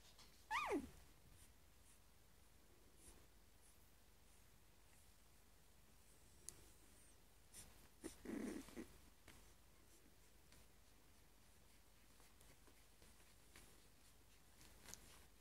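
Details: A Louisiana Catahoula Leopard Dog puppy from a breeder in Grasberg gives a brief, high whine that slides quickly downward.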